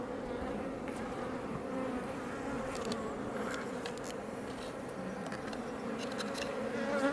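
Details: Iberian honey bees (Apis mellifera iberiensis) make a steady, dense hum, a low droning buzz of many wings, outside a Langstroth hive west of Roquetes, south Tarragona, Catalonia, Spain, near Els Ports National Park.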